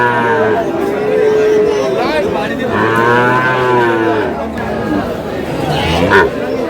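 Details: Dairy cows with calves of an improved breed at Aftabganj market in Dinajpur, 1/8/26; two low, droning moos of over a second each, partly overlapping, amid constant buyers' talk and market noise.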